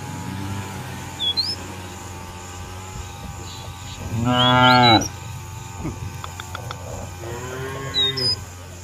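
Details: Cattle roaming a field in a village, calling companions to return to the barn: one loud, harmonic moo lasting under a second, then a softer, lower moo a few seconds later, with brief high bird chirps and a steady background hum.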